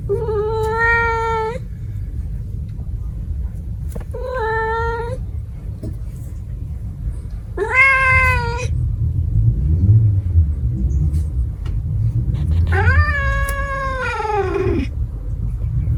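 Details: Cat vocalising in four separate drawn-out meows, harmonic and wavering, the last longer with a rising then falling contour; steady low rumble of background noise throughout.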